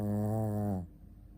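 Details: Ponta the Shih Tzu, asleep, lets out a single sustained nasal snore, low and humming with a slight falling pitch at the end, then silence.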